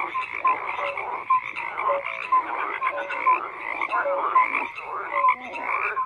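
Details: Frogs croaking in a thick chorus, with brief bright tonal chirps repeating about once a second over a constant raspy background of many overlapping voices.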